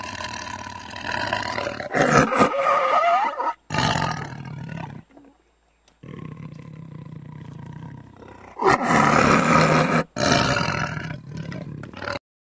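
A tiger gives deep, rasping growls in broken bursts separated by brief silences.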